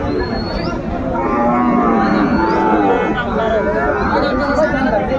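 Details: Sahiwal bull calves at Ambari cattle market, Chattogram, Bangladesh, on 31 January 2025: drawn-out harmonic lowing rises over a busy crowd, with steady chatter and haggling voices throughout.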